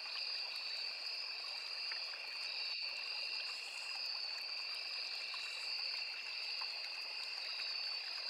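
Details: Unbroken high insect drone from crickets and cicadas in a riverside forest, two steady pitched bands throughout, a single sharp click near the third second, and a constant stream trickle beneath.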